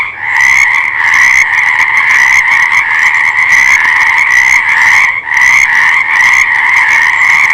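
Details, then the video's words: Frogs calling together in a thick, unbroken chorus of rattling croaks, a brief dip in volume midway before the massed calling resumes. "Fascinating Frog Sounds"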